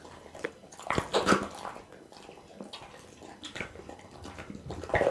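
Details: Quiet, wet licking and soft squishing as Bounce the pit bull eats raw meat and offal such as beef kidney and tuna, recorded on an Insta360 ONE R; a few louder crunches stand out near the start and end.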